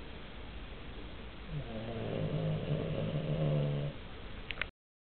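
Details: A snoring Cavalier King Charles Spaniel while sleeping: a single drawn-out, buzzing, low rattle of about two seconds, followed by a short sharp click just before the end.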